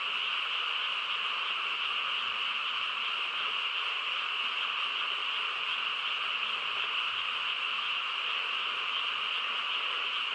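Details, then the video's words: Many frogs calling together on a still night in the countryside, their voices merging into a constant, even drone with strong high tones. No other sounds rise above the chorus. "고요한 시골 밤에 개구리 합창 소리"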